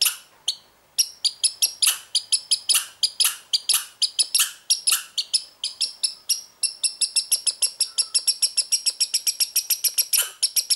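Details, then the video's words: American red squirrel, a young animal from this year, behaving unusually; steady run of high, clipped chirps that speed into a quick even string toward the end, in an otherwise quiet setting. "wiewiórka hudsona-dziwne zachowanie,co oznacza?"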